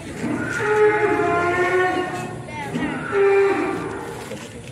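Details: Belgian Blue mascot bull at Usman Farm, Mijen, Semarang, Central Java, Indonesia: two drawn-out, harmonic moos, the first about one and a half seconds, the second shorter and rising at its start, with voices in the background.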